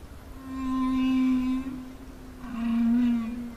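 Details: Humpback whale song underwater off Peru, thought to be male communication toward rival males and females. Two long, steady, low moans rich in overtones, the second slightly lower, with a brief gap between them.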